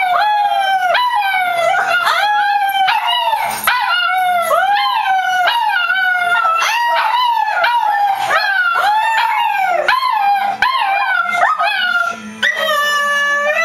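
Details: Pet dog howling on Christmas morning, a steady run of wavering, mid-pitched tonal howls, each lasting about a second and sliding down at the end, with rich overtones and short gaps, repeated without pause.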